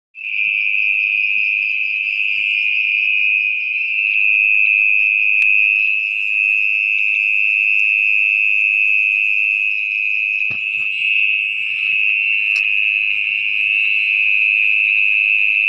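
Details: Mole cricket, locally orong-orong, calling at night from its burrow in wet, muddy ground: one steady, unbroken high-pitched trill that holds the same pitch for the whole stretch, with faint handling noise.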